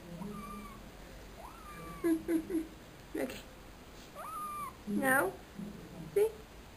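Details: Pimienta, a female pet cat, meows repeatedly: several arched, rising-then-falling meows spaced a few seconds apart, mixed with a human voice talking and short clattering noises.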